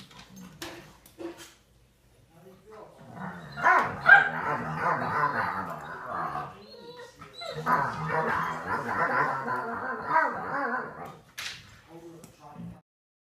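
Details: An American Pit Bull Terrier that rarely barks growls in long, rumbling, grizzly-bear-like bursts while playing with a 10-month-old American Bully.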